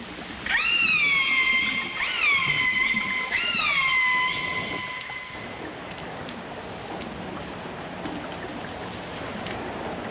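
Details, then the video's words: Dolphin song with orcas, a 1989 stereo recording: several overlapping rising whistles settle into long level tones with stacked harmonics across the first five seconds. After that only a hissing, crackling underwater background remains. "The Enchanting Sounds Of Dolphin Song (Dolphins & Orcas)"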